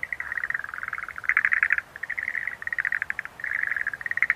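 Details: Schlegel's green tree frog, Rhacophorus schlegelii, giving dense trains of rapid clicking pulses, bursts of a quarter to half a second running almost without pause, several callers overlapping with quiet background.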